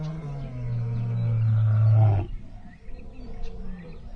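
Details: A lion on an African game farm gives one deep, drawn-out roar that swells for about two seconds and stops abruptly, followed by quieter low rumbling and faint outdoor background.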